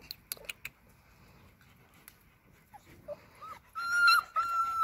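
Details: Six-week-old Alaskan Malamute puppies from one litter whimper and whine indoors; a few short squeaks give way to a long, high, wavering whine near the end, with clicking sounds early on.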